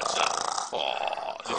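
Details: Pet dog making a crazy snoring noise as its belly is rubbed indoors: two rough, raspy, snore-like bursts, the first about 0.7 seconds long and the second longer, with a brief pause between them.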